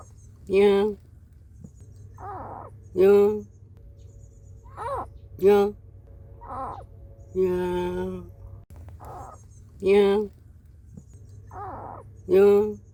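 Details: Cat cries from a recording featuring a mother guarding her kittens against an intruder and kittens searching for their mother; loud, harmonic wailing calls repeated about every two seconds, eight in a row, over a low hum.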